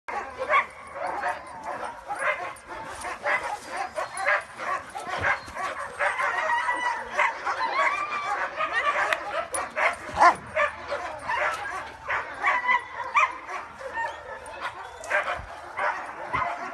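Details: Several dogs from a protection and obedience training program, including Giant Schnauzers, Dobermans and German Shepherds, on a group walk in the woods; dense overlapping barks and yips continue throughout, many dogs calling at once.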